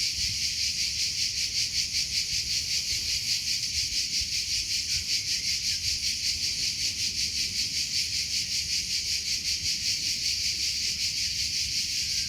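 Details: Steady cricket chirping, shrill and evenly spaced, keeping a constant pulsing rhythm across the whole stretch, with faint distant rumble below.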